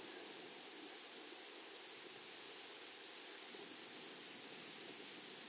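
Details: A chorus of grasshoppers in a flowery prairie gives an even, piercing high drone without pauses, topped by a faint higher ringing band, with quiet background hiss.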